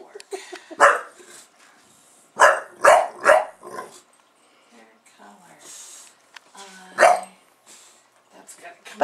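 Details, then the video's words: Buster the bulldog goes off when he is being filmed, giving bursts of short, rough barks, a quick run of three near the start, then a single loud bark later, with a human voice between them. "Buster Bulldog reacts to Camera"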